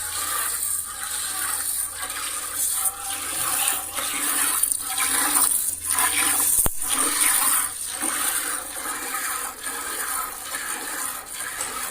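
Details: Rushing, splashing water noise, like a flushing toilet or a pouring stream, fills the scene steadily with faint murmurs; no animal voice stands out.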